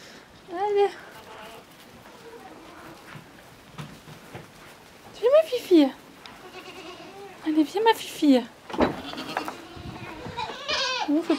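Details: A tiny miniature goat kid, Petite Pelotte, walks outdoors on a cold, windy day to nurse from her mother, who adopted her late. Short quavering bleats break through frequent coaxing speech, with a clear cry early on and another near the end.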